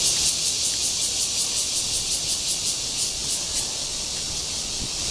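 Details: Cryptotympana holsti cicada courtship call recorded 28 June 2013 in Guangming Park, Zhongli, Taiwan: a high, hissing buzz pulsing in rapid regular throbs, about three per second, softening toward the end.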